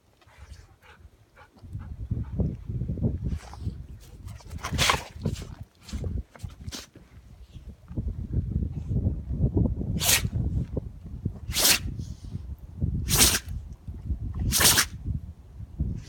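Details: Shikoku dog sneezing again and again on a windy day, apparently after something got into its nose; sharp explosive sneezes, four strong ones near the end, over low rumbling wind noise.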